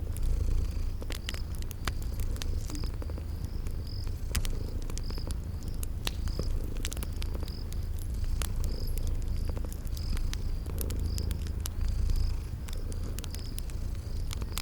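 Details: Sleeping cats purring in a steady, low continuous rumble beside a crackling fireplace, with sharp pops from the fire and a high, regularly pulsing chirp like crickets throughout, set in a cozy spring garden ambience.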